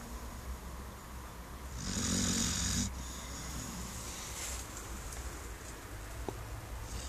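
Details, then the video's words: Six-month-old brown Labrador Duke-Emil, 21 kg, asleep on a garden armchair, gives one loud, rough, hissing snore lasting about a second, then softer breathing continues. "Brauner Labrador Duke-Emil schnarcht"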